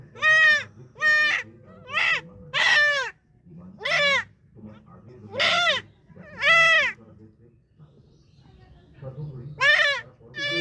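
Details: Goat bleating repeatedly in loud, quavering bursts, about eight calls with irregular gaps, with faint low background sounds and some voices.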